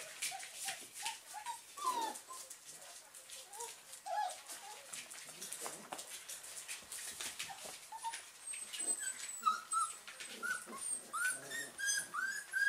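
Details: German Pinscher puppies from the Ettaler Mandl kennel, awake: many short, high squeaky whimpers and yips scattered through the recording, some rising and falling, over steady rustling and soft background hiss.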